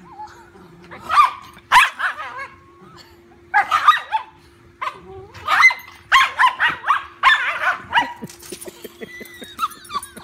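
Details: Dachshund taking on a big golden retriever puppy in rough play; clusters of loud, yappy barks and yelps in rapid runs, ending in quieter rapid panting or scuffling clicks, over a constant low hum.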